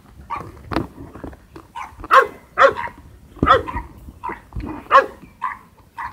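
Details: Golden Retriever puppies born 11 February at a Hamatsu-area breeder in Shizuoka, Japan, training outdoors for socialisation; bright puppy yaps repeat roughly twice a second in clusters, with softer yips between and light background rustling.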